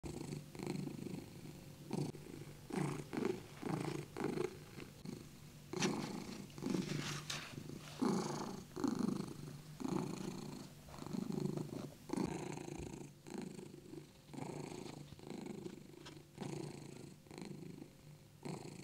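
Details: A British Shorthair cat purrs in a steady, rumbling rhythm of low pulses while keeping its owner company in the kitchen.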